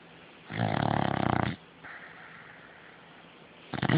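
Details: Beagle snoring while dreaming in its sleep: one loud, rough, rattling snore lasting about a second, then a quieter breathy inhale, and the start of another harsh snore at the end.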